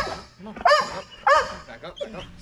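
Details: Belgian Malinois named Strider waiting to jump during Fetch-It air retrieve dock diving practice, 10.25.22. Two loud, harmonic barks about half a second apart, followed by softer excited yips, with a handler telling him to stay.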